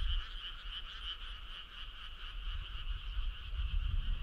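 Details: Frogs calling on a midsummer night, a steady, rapidly pulsing trill from many animals carrying in two bright pitch bands, over constant low background rumble.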